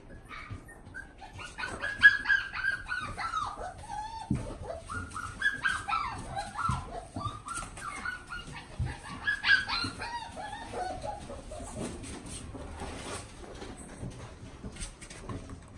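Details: Shetland Sheepdog puppy in a pet shop in Omihachiman, Japan, giving high whining yips and short barks in quick irregular bursts, some rising and falling whimpers, with faint background shop noise.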